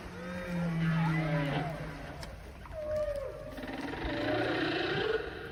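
A whale gives long, low moans and sliding, wavering tones underwater.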